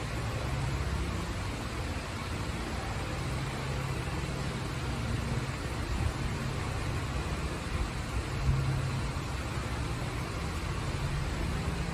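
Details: Loud, steady roar of engine or traffic noise fills the whole recording, with a thin high whine above it.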